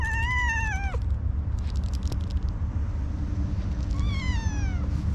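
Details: Orange tabby cat that is slow to warm up, giving a very cute meow: a drawn-out wavering cry that drops at the end, then a second rising-falling meow after a pause, over a steady low outdoor rumble.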